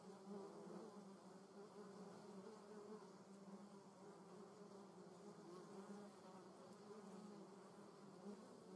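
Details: German wasp in a garden, a steady low droning buzz with a strong hum and an overtone, holding fairly even throughout with slight swells in loudness and no other clear sounds.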